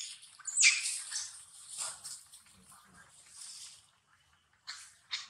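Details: Baby monkey Viola, at the Angkor Wat temple zone in Cambodia, screams in fright after falling into a gap between stones: a loud, harsh, high-pitched wail lasting about three seconds, then two short sharp shrieks after a pause.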